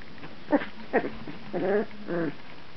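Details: Two-week-old puppies, 14 days old, recorded in 2009: two brief rising squeaks followed by two longer wavering, harmonic whines over a faint low background hum.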